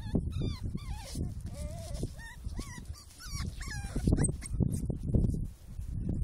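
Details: Scottish Terriers, among them a litter of two 4-week-old female puppies, with a black male and wheaten adults, in March 2012: a rapid run of high, wavering whines and short yips over four seconds, over low rumbling handling noise.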